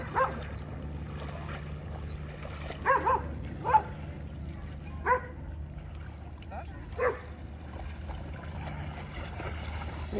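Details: American Akita at play in water at an Orlando, Florida dog park, Baldwin Park; a run of clipped barks, some doubled, then sparser ones, over low droning background noise and distant talk.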